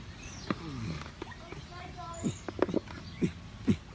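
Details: Limbani, a chimpanzee at ZWF Miami, grunting happily as he eats a food he absolutely loves; short low grunts come in uneven bursts, with a human voice at the start.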